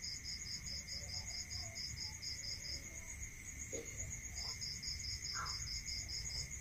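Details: Crickets calling at night in a rural setting, bursts of fast high pulses that stop for over a second and then return, with a constant shrill tone, low background rumble and a few faint brief sounds.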